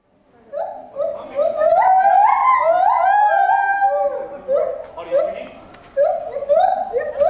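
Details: Gibbons singing at Asahiyama Zoo on 24 July 2014, performing 14 m up, recorded with a FinePix Real 3D W3S camera: a run of short rising whoops, each stepping higher and quickening into a rapid climbing series, then separate swooping notes.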